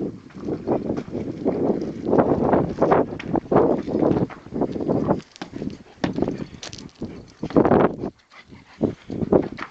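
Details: Rottweiler playing with his favourite toy, a tyre, outdoors: rough, raspy bursts of low to mid sound come in quick succession for about eight seconds, with short pauses and some thumping and shuffling between them.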